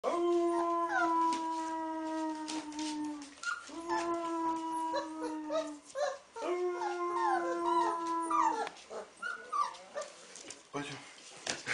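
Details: Wolf pup howling as a man teaches it to howl: long steady low human howls alternate with the pup's higher wavering, rising and falling cries layered above, plus scattered noises between phrases.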